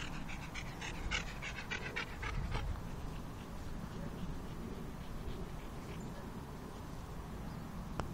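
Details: Jessie, a pet dog out on a walk, makes rapid rhythmic panting puffs like a chugging steam train. The puffs are strongest in the first two and a half seconds, then fade into steady breathing and outdoor background noise.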